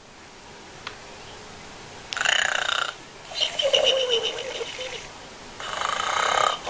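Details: Arnold, a pig, snoring while asleep: three long raspy, breathy snores, each lasting roughly one to one and a half seconds, with brief quiet pauses between them.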